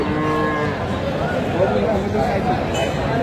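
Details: Cow at Aftabganj market in Dinajpur, Bangladesh, 14 October 2025, among cows sold with calves; a low harmonic moo stretches through the short stretch over a murmur of market crowd noise.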